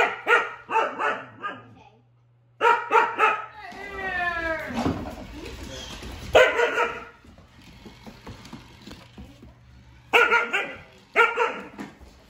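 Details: Siberian huskies Juno and Echo bark at Dash the toy robot in quick clusters of loud barks, interrupted midway by a falling, warbling tone and scuffling noise before more barking bursts return.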